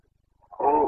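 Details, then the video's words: Carpathian red deer in the breeding season, Bucovina, 2022; one brief, hoarse, harmonic roar rising out of a soft lead-in grunt. "Boncănit / Carpathian stag Breeding season"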